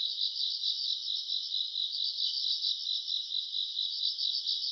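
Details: A continuous high-pitched trilling of grass insects on an August summer night, beating in fast regular waves about twice per second with a faint shimmer higher up.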